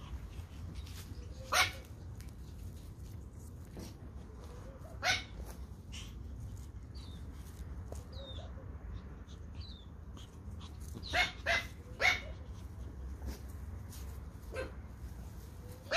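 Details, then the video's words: Toy Pom puppies of the Pomeranian breed at play in the garden give scattered sharp, high yips a few seconds apart, while small birds chirp briefly in the background over a low steady hum. "Pomeranian Toy Pom puppies playing in the garden"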